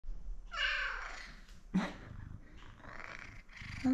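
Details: Male F2 Savannah cat, a pet, up close indoors: one drawn-out, falling, yawning meow early on, then soft low purring and a short squeak, with a woman talking softly nearby.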